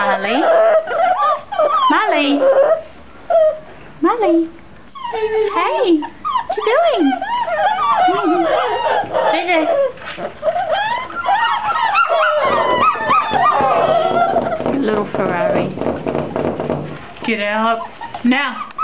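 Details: Several seven-week-old puppies whine in an indoor pen. Thin, sliding whimpers and short yips tumble over each other in a busy chorus. A person's voice is heard talking over them.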